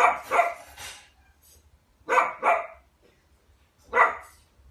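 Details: Sausage dog indoors barking in short pairs: a double bark at the start, another pair around two seconds, and a single harsh bark near four seconds, with only faint background noise.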